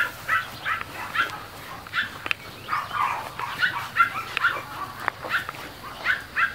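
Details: Several seconds of mastiff puppies playing: sharp squeaky yelps and short barks come in uneven bursts, each lasting a fraction of a second, with a couple of clicking knocks in between.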